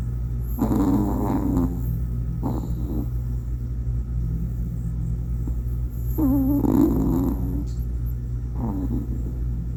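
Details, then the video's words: Toy Poodle puppy named Waldo snoring while asleep with eyes open: four rattly, slightly whining snore breaths, two long and two short, spaced a few seconds apart over a steady low hum. "눈 뜨고 자면서 코골이 하는 토이푸들 강아지 왈도"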